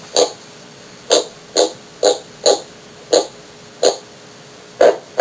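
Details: An Atlantic crevalle jack (Caranx hippos) grinds its teeth together to make noise, a form of stridulation: short, rasping grinding bursts repeated irregularly about twice a second; Crevalle jack.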